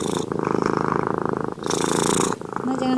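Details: A domestic cat purrs in a low, steady, rapidly pulsing rumble while falling asleep just after a bath, a sign it feels comfortable and calm; a person talks over it.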